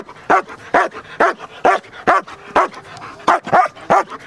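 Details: Protection-trained German Shepherd, large and solid black, giving a steady run of sharp, deep barks about every half second, nine or ten in a row, with no other sounds.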